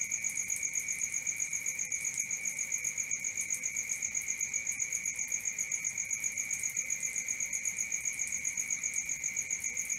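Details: At night, crickets keep up a high, metronomic chirping of about four pulses a second against a continuous lower trill, calm and unchanging.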